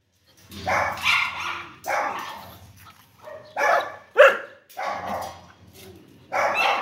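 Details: Dog giving deep, rough, drawn-out barks spaced about a second apart, with one sharper, higher yelp in the middle.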